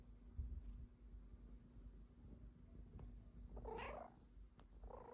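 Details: A female Snow Lynx Bengal cat, belly-flopping on a love sack, gives a short rising-and-falling meow asking for belly rubs.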